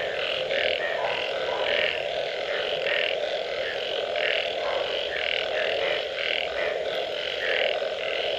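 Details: Many frogs call after rain, giving short rasping bursts in uneven clusters over an unbroken droning background of distant calls.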